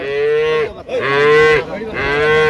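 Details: Improved-breed dairy cattle at Dinajpur's Ambari haat on 28/9/25 call repeatedly: three clear, sustained moos in close succession, each level in pitch and dropping away at the end, with faint background voices.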